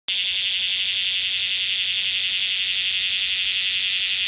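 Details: Cryptotympana facialis cicadas on Rokko Island Greenbelt, a steady, intense, shrill high buzz that holds without a break for the whole stretch after a sudden start, with a faint wavering throb.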